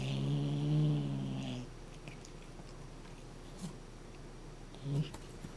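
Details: A Somali cat growling as a threat to keep a cat toy from being taken. It gives one low, steady, droning growl lasting over a second and a half, followed by quiet room noise with a few soft knocks.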